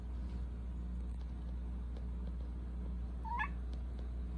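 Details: The younger of two Persian cat brothers gives one short meow that rises and bends at the end, over a constant low indoor machinery hum.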